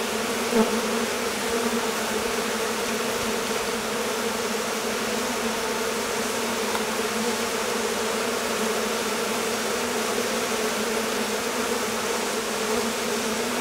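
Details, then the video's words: Many honey bees of a swarming colony, released by a warm day after a long rainy, cold confinement in the hive; a constant layered drone holds steady for the whole stretch, one faint tick early on. "Abeilles. Essaimage d'une colonie"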